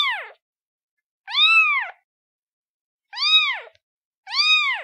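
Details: Kitten of the domestic cat mewing: clean, high arched meows rising then falling, with rich harmonics, about three and a half calls spaced one to two seconds apart against a silent background.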